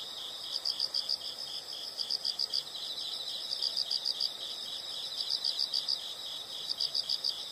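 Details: Insects calling in a calming nature soundscape: high chirps in quick runs of four or five pulses, the runs spaced about every one and a half seconds, above a dense shimmering insect drone and faint low rustling.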